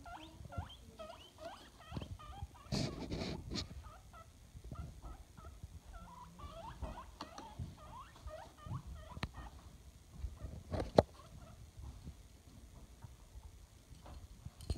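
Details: Adopted male pet guinea pig at home giving rapid series of short, high squeaky chirps in uneven bursts, interrupted by a couple of louder thumps and rustles, over low background hum.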